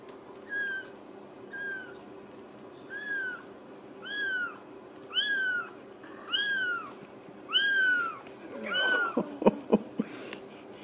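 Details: Ragdoll kittens raised uncaged in a home cattery in central Kansas, mewing a steady series of high, arched meows about once a second, each call slightly longer and louder, followed by handling clatter and a woman talking softly.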